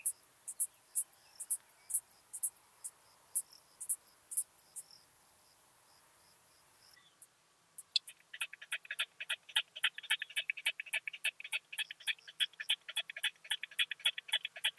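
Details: Song of a curve-tailed plump bush-cricket, Austria, 4 June 2021: sparse high ticking pulses, a brief pause, then a rapid dense train of clicking pulses in a lower, harsher band continuing steadily to the end.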